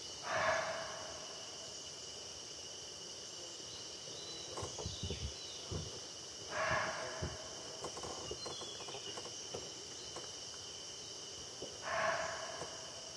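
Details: Alarm barks of a barking deer reacting to a tiger in Jim Corbett Park, Indian Subcontinent: three abrupt, rasping single barks spaced roughly five to six seconds apart, with soft rustling steps between and a constant insect drone behind.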